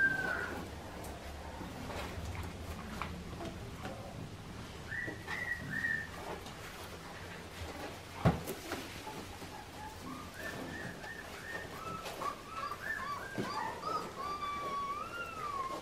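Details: Clementine's Australian Shepherd puppies, farm-bred and about to travel by air before Christmas, give scattered high, wavering whimpers from the middle onward. The whines grow busier toward the end and some rise and fall, with soft thumps and low rumble behind.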